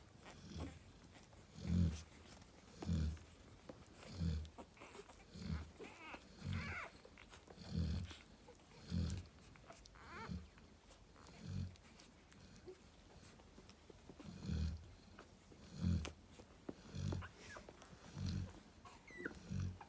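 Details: Steady deep snores from Narla, a Cane Corso mother relaxing beside her puppies: low rumbling breaths repeated about every 1.3 seconds for twenty seconds, evenly paced, over faint ticking and rustling.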